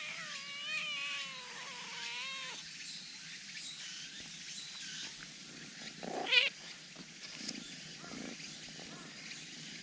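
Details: Black cat, eager to come out, lets out a long wavering meow of about two and a half seconds with a dipping, quavering pitch, followed by quieter rustles and a sharp click.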